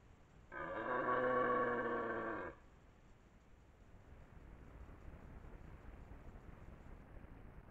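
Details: Red deer stag with twelve-tined antlers, the dominant male of the area, roaring in the 2023 rut near Lartigau, Milhas, Haute-Garonne, France: a single loud, deep, harmonic-rich bellow lasting about two seconds, followed by quiet rustling background.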